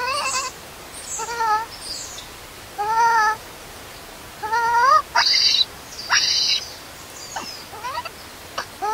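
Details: Newborn monkey left alone by its mother, crying from hunger for milk: clear, harmonic, arched wails that rise and fall, repeated every second or so, mixed with sharper high-pitched squeals.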